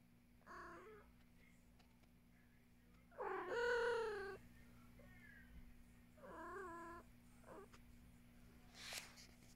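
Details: Pet cat meowing repeatedly: a short meow, then a loud, long, wavering cry, then two quieter meows, with a person briefly speaking afterwards and a faint electrical hum throughout.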